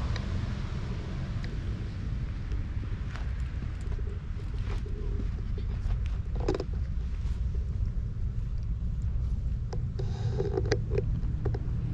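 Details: Steady low rumble of wind or traffic dominates, with a few faint clicks and brief scraping sounds and no animal voice.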